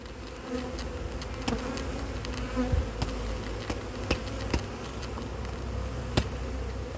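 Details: Steady humming of a drone-laying honey bee colony, inspected in cold weather in 2024 after splits' first matings failed; a low rumble sits under the even drone, dotted with sharp clicks and knocks.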